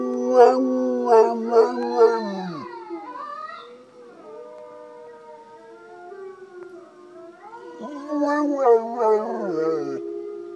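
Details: Mixed-breed dog adopted from a shelter near NYC answers recorded wolf howls with four rapid yelping howl bursts sliding downward, a quieter drawn-out wavering tone, then another cluster of loud choppy howls.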